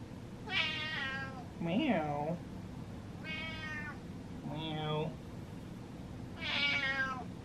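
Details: Impatient domestic cat meowing indoors: three drawn-out, bright meows spaced a few seconds apart, with a person answering between them in lower mimicking meows and talk, over a steady low hum.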